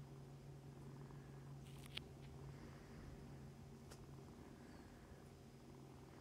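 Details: Foster kittens nursing beside mother cat Mummy, Humane Society of North Texas, purr in a steady low hum; a couple of short clicks and scratching sounds break in near two and four seconds.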